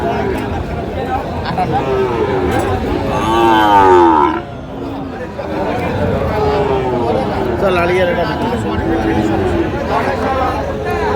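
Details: Sahiwal cattle at a livestock market in Noakhali, Bangladesh, 2 July 2025, where a farmer buys a Sahiwal bull calf: one loud, wavering moo rising then falling around the fourth second, amid steady men's bargaining talk and crowd chatter.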